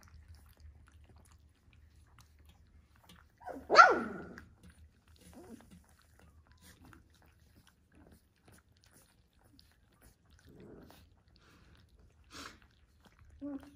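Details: Golden Retriever puppy in a milk bath gives one sharp, loud yelp just before four seconds, followed by a few faint, short soft sounds in an otherwise quiet indoor room.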